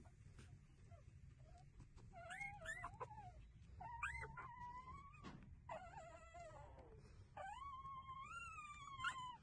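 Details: Several street puppies nursing from their mother, giving high, tonal whines that rise then fall or wobble, in bursts of about a second each, with a low steady rumble underneath.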